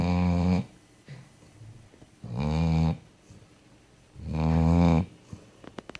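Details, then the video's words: Fufi, a pet dog fast asleep indoors, snores in deep buzzing rasps, three long drawn snores roughly two seconds apart, with faint clicks and rustles in the quiet gaps. "chien qui ronfle"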